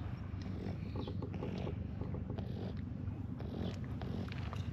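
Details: Friendly stray cats gathered at a scrap-materials yard purr while being petted: a steady low rumble pulsing about twice a second, with faint rustling and clicks on top.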